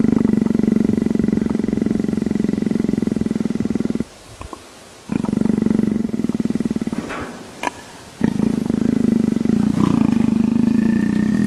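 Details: Leopard purring, compared to a motorcycle; steady, low, fast-throbbing buzzy rumble in long bouts, with quiet gaps between them and a few faint clicks.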